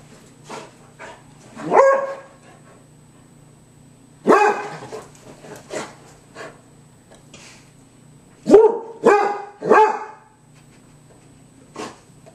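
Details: Shrill barking from a pet dog: single sharp barks, then a quick run of three near the end, over a low steady hum and scattered clicks.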